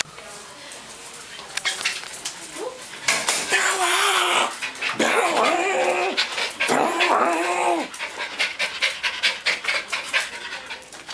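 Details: Bella, an albino Silky Terrier at the doctor's, lets out wavering, drawn-out whines and yelps in bursts through the middle seconds, with a person talking nearby and rustling clinic background.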